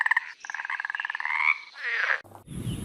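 A frog gives a rapid, pulsed croaking trill, its nasal buzz climbing slightly over about two seconds before cutting off abruptly into brief noise.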